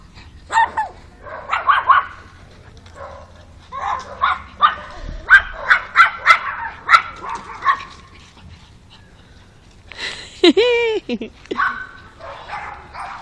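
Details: Alfa, a pug, barks in dense, excited strings of sharp yaps, then a drawn-out, wavering whine-like cry, followed by a few final barks.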